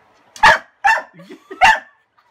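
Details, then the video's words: Pet dog Kasa, scared of a broom hiding his toy, lets out three loud harsh barks within two seconds, with short whiny whimpers between them. "Kasa is Afraid of a Broom"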